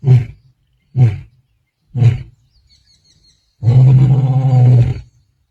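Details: A male lion of the Black Dam group in Kruger National Park, 8 December 2025, gives deep, throaty grunts followed by a long rumbling roar, calling his brothers.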